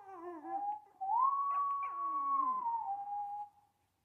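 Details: Small dog howling along to the opening theme music of the Show da Fé television programme: one long harmonic howl rises to a steady held tone, then slides down and fades, with fainter tones beneath.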